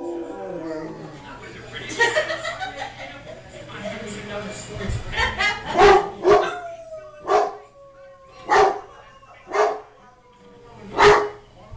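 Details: Pepper, a blue merle Great Dane, one of three Danes in the household, worked into an excited tizzy by family play on 19 March 2010; falling tonal howl mixed with sharp repeated yips roughly each second, voices talking early on.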